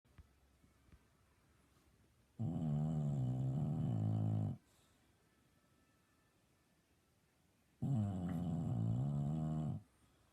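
An English Bulldog snores loudly in deep, rumbling, rattling breaths about five seconds apart.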